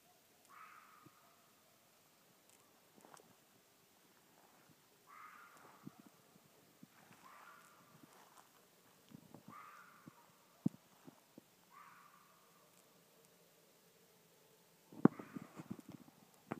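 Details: A single red fox in Tennessee, heard at night from about 50 yards, gives harsh, hoarse screams, each a short raspy wail repeated every few seconds.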